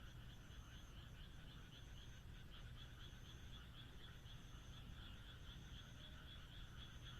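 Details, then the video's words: Frogs calling on a moonlit night in the countryside, a dense chorus of rapid pulsed croaks layered into a steady trilling wash, with a faint high thin tone recurring and a low constant rumble beneath. "田舎の月夜 カエルの鳴き声"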